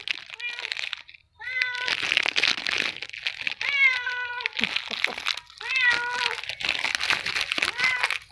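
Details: A Persian cat called Princess meows repeatedly indoors: a series of rich harmonic meows, some rising then falling, spaced about every one to two seconds, with soft rustling and broadband noise between them.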